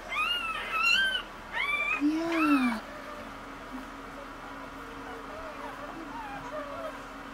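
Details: Newborn Cocker Spaniel puppies from a mother's first litter of five, at birth: a run of thin, high squeaky whines rising and falling over the first three seconds, then quiet with a steady low hum.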